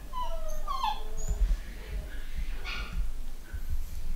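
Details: A home-bred litter of young pedigree Long-haired Miniature Dachshund puppies, both boys and girls, at a UK breeder give thin, high whimpers and squeaky whines over low rumbling noise.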